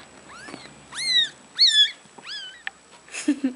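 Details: Two newborn female domestic kittens with their mother, a cat of about one year, born 30 March 2013: four thin, high-pitched mews, each rising then falling, spaced about half a second apart, followed by a brief rustle and soft noises.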